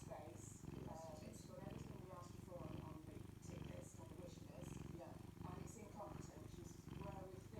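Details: A cat enjoying a Saturday morning purrs in a continuous deep rumble, rising and falling in rhythmic breath cycles, with human speech heard on top in a small indoor space.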